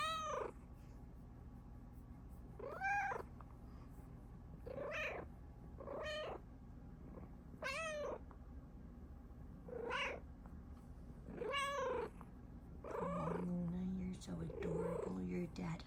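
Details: Luna Bear, a pet Bengal cat, meowing happily while her dad is around: a series of clear rising-and-falling meows about every two seconds, with a soft low hum underneath and a person speaking gently to her.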